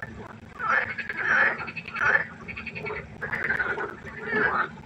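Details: Night at a pond with frogs croaking: rough, buzzing pulsed croaks in bursts about every second, a few callers alternating and overlapping, with a soft low hum underneath.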